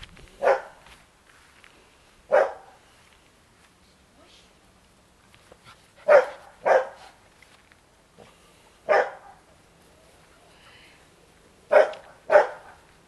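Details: Black-and-white Bearded Collie puppies romping with their mother Topas and Gipsy in a garden at dusk; sharp barks in pairs and singles, spaced irregularly every few seconds, with quiet pauses between.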